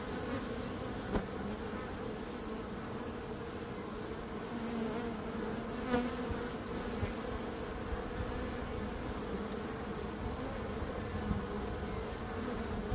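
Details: Dense, even drone of buzzing bees, a low continuous hum layered with a band of higher buzz, broken only by a few short clicks or knocks.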